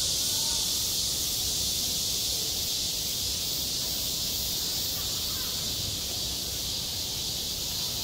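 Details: At a school playground in summer, cicadas keep up a constant shrill buzzing chorus, steady and unvarying across the clip with no other clear sounds.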